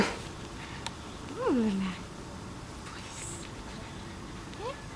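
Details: In a shelter, a very small one-eyed dog, described as nervous there, gives one drawn-out whine that rises then slides down, followed later by a short rising whimper, against low background hum.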